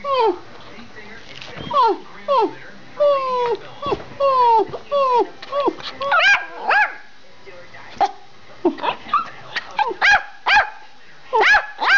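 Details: Two pet Schipperkes barking and running through a house: a string of high, sharp yips and barks with downward-sliding pitch, often in quick pairs or bursts, while a woman calls to the dogs and asks what one is doing.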